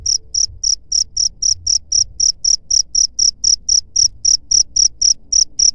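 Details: Cricket chirping, played to drive away rat pests: loud, high-pitched pulsed chirps repeated about four times a second in a steady, even rhythm, with faint low rumble underneath.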